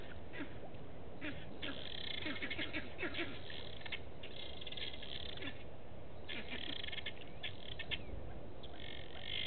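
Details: At a waterhole in Djuma Game Reserve, Sabi Sand Wildtuin, South Africa, a vervet monkey alarms at a male leopard in the bushes, afternoon of 27 August 2018; repeated groups of rasping, chattering barks, with pauses, above constant low rumble.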